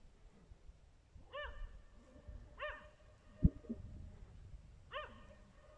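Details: Dachshund barking in a setting linked to a wild boar: three short, arched, harmonic barks spaced over about four seconds, with a sharp knock near the middle and faint low rumbling background.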